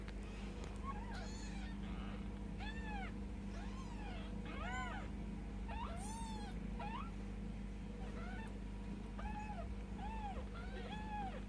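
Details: Ten-day-old Bengal kittens with their mother, Mischief Maker, giving many thin, high arched mews, each rising then falling, in quick irregular succession over a steady low hum.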